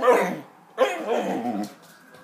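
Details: Hungarian Vizsla kept as a pet, trying to talk to its owner: two soft, wavering, grumbling moans, the second longer and undulating, recorded indoors with a little background noise.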